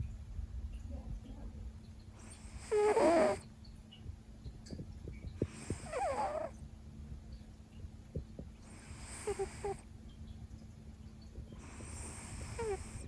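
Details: Leo, a Siberian cat, snores loudly while deep in a long nap after missing his noon meal; rasping breathy snores with squeaky tones arrive roughly every three seconds, quiet in between.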